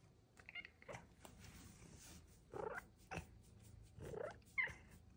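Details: Pet cat named Luxe, a chatty female who chirps and meows at her owner as if telling about her day, gives four or five short soft chirping meows, some rising in pitch, spaced about half a second to a second apart indoors.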